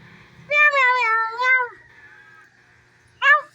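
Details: Domestic cat giving a drawn-out, slightly wavering meow of about a second, then after a pause a short, sharp rising meow; quiet background otherwise.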